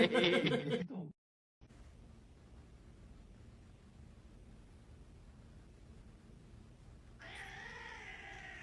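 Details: Kitten indoors giving a drawn-out, wavering meow near the end, after a burst of loud human voices and laughter at the start and a stretch of quiet room hum.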